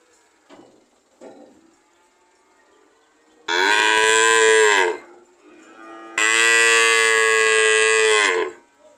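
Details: Cow giving two powerful drawn-out moos in quick succession, each around two seconds long with a strong rich tone, preceded by a couple of short soft grunts and a quiet background hum.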